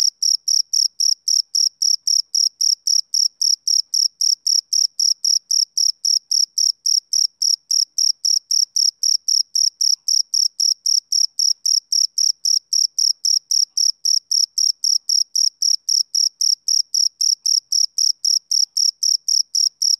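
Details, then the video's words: Male cricket chirping on a summer evening: a steady run of short, high, shrill pulses, about four per second, perfectly even throughout, with no other sounds in the background. "Cricket Chirping Sound Effect"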